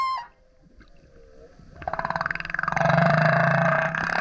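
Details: Singing male humpback beside a kayak: a short tonal note fades, then a pulsed, burping grunt builds into a loud low roar with a rising and falling moan over it.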